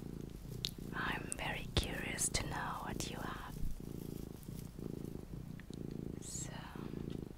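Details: Relaxing purr of a small house cat, low rhythmic rumble pulsing with breathing throughout, accompanied by gentle whispered speech and light tapping sounds.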